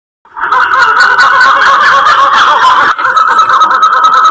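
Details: Black-fronted titi monkey troop calling heavily in January 2018 in the Serra da Mantiqueira, Pindamonhangaba, São Paulo, while two individuals watch curiously. A loud, dense chorus of throbbing, chattering calls runs continuously after a short silence.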